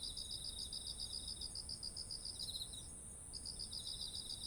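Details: Autumn insects calling beside fields of heavy, ripe rice: a rapid run of high pulsed chirps at a steady beat breaks off near the three-second mark and resumes, over a continuous very high ringing trill and soft low background hiss.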